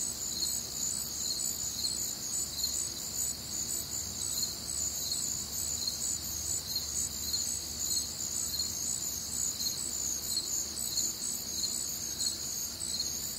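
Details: Crickets and other nocturnal insects on a warm, humid Midwestern summer night, a dense high chorus of steady trills and pulsing chirps layered together, continuous throughout with faint low background hum.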